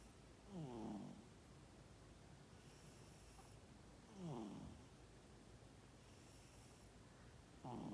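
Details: Domestic cat asleep and snoring, 12 December 2021. Grating, rasping snores come in long slow breaths, one about every three and a half seconds, each swelling briefly before fading into a quiet room with a faint background hum.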